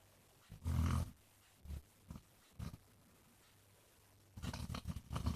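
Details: Jack, a basset hound also called Mr Flops, snoring while he rests: one loud, deep, rough snore in the first second, then a few short low snorts, and a cluster of rumbling breaths near the end.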